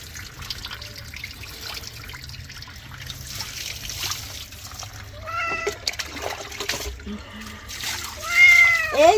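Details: Cat in the middle of a bath, crying out with short rising-falling meows around the midpoint and a louder, sharper meow at the close, over running water and gentle Bengali talk.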